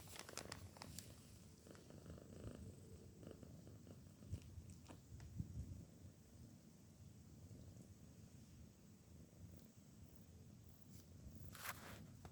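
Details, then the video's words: Sleeping soundly after a day of work, the female cat Shana snores in a continuous low, grainy rumble with even breathing rhythm, broken by occasional soft taps and small rustling sounds. "A GATA. roncando."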